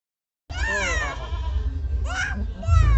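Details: Deshi goat, a domestic doe that has just given birth to three kids, gives one loud, wavering, nasal bleat lasting under a second. A shorter second bleat follows, then a person's voice cuts in at the end.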